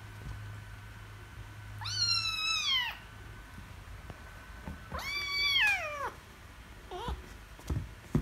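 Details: Angry kitten meowing loudly after losing at wrestling, two long harmonic-rich meows falling in pitch, then a shorter brief cry near the end, with soft handling noises indoors.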